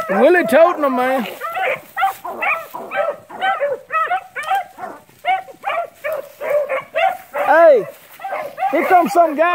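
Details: Rabbit-hunting beagles in hot pursuit of cottontails and bluetails: drawn-out, wavering bawls open the stretch, followed by a steady run of sharp, clear chop-mouthed yelps, ending with another long, bending bawl.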